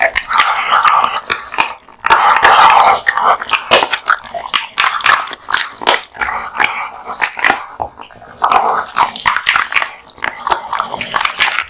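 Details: A male American Bully, born 2016, eats a large lunch of raw meat and bones indoors, with loud, wet crunching bites and tearing chews in dense irregular bursts, plus a brief low growl-like rasp.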